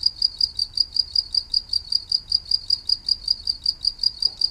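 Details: Regular, shrill cricket chirps, several sharp high pulses per second in an unbroken series, with faint low background noise.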